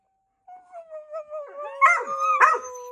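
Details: One short dog howl begins as a steady tone and then wavers, with two louder bark-like bursts over it.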